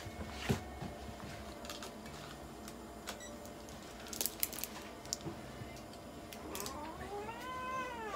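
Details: Mocha, a Munchkin cat, at a Nagoya veterinary clinic during examination and blood draw, lets out one drawn-out, rising-then-falling meow near the end, after clicks and handling noises from the exam room.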